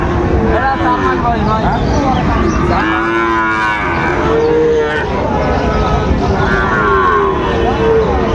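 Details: At Raniganj market in Dinajpur, 29 August 2024, a Sahiwal bull calf gives several deep, harmonic moos, the loudest a long bellow near the middle, then shorter lowing calls, over a murmur of traders talking.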